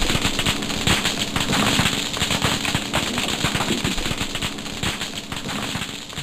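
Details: A dense, crackling chorus of thousands of snapping shrimp, like frying fat or distant firecrackers. Their claw snaps serve to communicate and to stun or kill prey.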